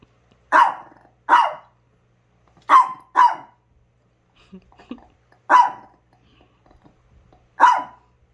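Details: Chihuahua kept with other dogs barking in short sharp yaps, mostly in pairs with pauses of about a second, plus faint soft whines between bursts in a quiet indoor setting.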